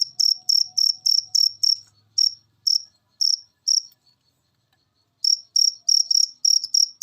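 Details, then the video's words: A cricket recording used as a masteran so pet birds that rarely sing start singing. Runs of sharp, high chirps break off into single chirps, go quiet for over a second, then resume as a quick series. "Masteran Jangkrik Ini Bikin Burung Peliharaan Anda Gacor"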